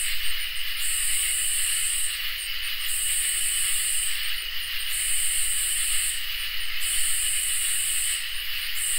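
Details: Crickets and katydids in a summer night chorus: a steady, high shrill trill runs throughout beneath loud, very high buzzy bursts that swell for about two seconds and break off briefly in a regular rhythm, with a faint low rumble underneath.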